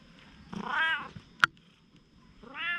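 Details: Once-wary stray domestic cat turning affectionate gives a drawn-out falling meow, a sharp click in between, then another rising meow.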